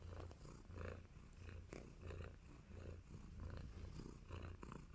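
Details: Tabby kitten Nacho, contented and giving love bites, purrs in a clear rhythmic low rumble that swells and eases in regular pulses about twice per second, close and steady.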